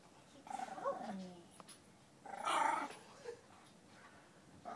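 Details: An 8-week-old female French Bulldog puppy fighting her own reflection lets out short, throaty barks and growly yips in two bursts.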